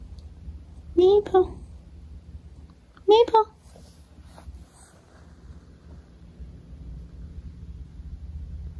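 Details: Maple, a pet cat, meowing indoors: two clear tonal meows about two seconds apart, each rising then falling in pitch with rich harmonics, followed by a quiet stretch with faint low room hum and small shuffling sounds.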